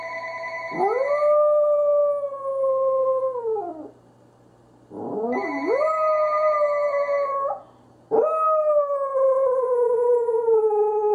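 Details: Confused pet Corgi howling: three long drawn-out howls, each rising quickly then holding a steady, slightly falling tone for about three seconds, separated by short pauses, with a faint steady background hum.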